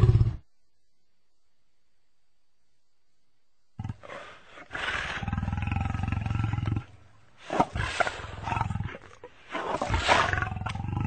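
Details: Lion with a muscular, deep-chested body; a long silent gap, then rough, deep roaring and growling in several bursts with low rumbling energy, separated by short pauses.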